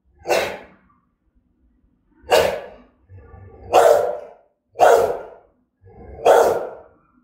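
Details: Aggressive, threatening barking of a German-style Rottweiler in Vietnam: five loud, deep single barks spaced about one to one and a half seconds apart, with faint breathy sounds between.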